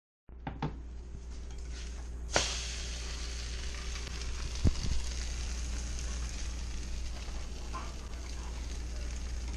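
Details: Steady sizzling of food frying in a kitchen pan, with a few sharp clicks and clatters of utensils and no animal voice.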